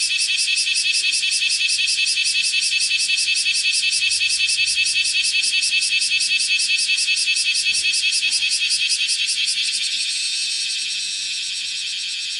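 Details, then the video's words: Kumazemi (bear cicada, Cryptotympana facialis) singing while walking on a room's window screen, filmed 31 July 2018 at 10:03. Loud, harsh, pulsing shrill, rapidly repeated about two to three times per second, fading slightly near the end. "網戸の上で歩きながら鳴いているクマゼミ --- Kumazemi [Cryptotympana facialis] shrilling with walking on screen window"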